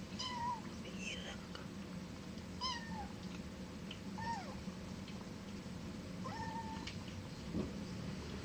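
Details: Cat giving a series of about five short meows, each sliding down in pitch, spaced irregularly over several seconds, over a steady low background hum in a quiet indoor setting.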